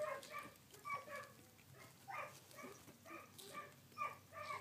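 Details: Collie puppies aged sixteen days, filmed 3 June 2013, make soft, high whimpers spaced roughly every half second to one second against a quiet background.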